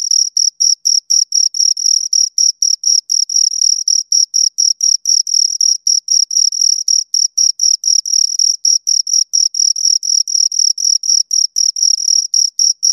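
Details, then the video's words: Close, loud chirping of two crickets, rapid high-pitched pulsed buzzes repeated about four times per second in a long regular series, shimmering overtone above, no other sound present. "Two Crickets Chirp Sounds for Two Hours Right on Your Ears"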